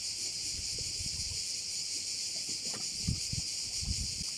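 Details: Cricket chorus at a bay on the Croatian island of Korčula, a continuous shrill, hissing drone high up, mixed with louder low rumbles and knocks, possibly wind or handling.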